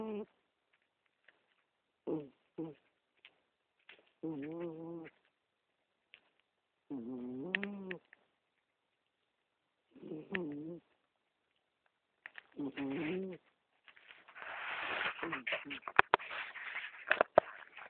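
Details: A sleeping 15-year-old female cat snores, recorded with a BlackBerry phone; short voiced, wavering snore bursts come every couple of seconds, followed near the end by loud rustling and handling noise.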